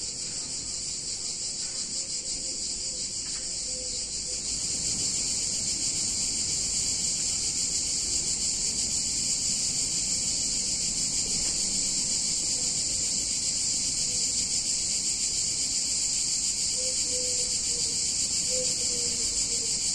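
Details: Cicadas singing on a hot summer day in a picturesque Italian town: a dense, shrill, continuous high buzzing drone that holds steady and swells slightly after the first few seconds, over a faint low background rumble.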